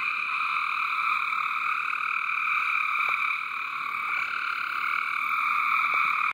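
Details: Frog chorus from a water garden, a continuous shimmering mass of high trills at a constant loudness, with a few faint clicks mixed in before the sound cuts off abruptly.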